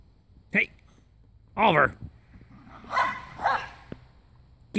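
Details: Timmy and Oliver, two Jack Russell Terriers, fight in a backyard, giving high, harmonic yipping barks in separate bursts about a second apart, with a person's voice urging them on between the barks.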